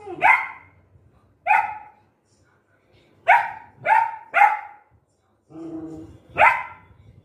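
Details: Angry golden retriever puppy in Guntakal barks at dogs outside the gate, six loud sharp barks spaced irregularly, a brief low whimper before the last, in a quiet room.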